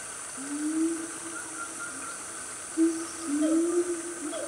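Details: A loud family of siamangs, also called gibbons, in Gunung Nuang forest, Selangor, Malaysia, on a cool morning around 10 am: low drawn-out hoots slide slightly upward, with steady insect hiss high above.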